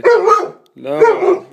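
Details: One-year-old Alaskan Malamute indoors, trying to play with an 11-year-old cat: two loud, harmonic, woofing barks about three-quarters of a second apart, each rough and slightly falling, in a small room.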